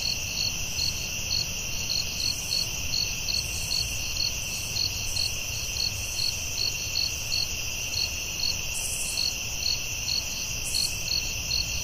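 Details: Chorus of crickets in a nighttime forest: constant high-pitched ringing with evenly spaced, rapid chirp pulses, a couple of brief hissy bursts above, and low rumble beneath.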